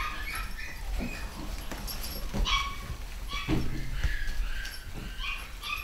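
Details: Pedigree Scottish Terrier puppies from a new litter, fully vaccinated, calling in short, high-pitched whimpers and yips that come in scattered bursts, some rising and falling, over a low background rumble.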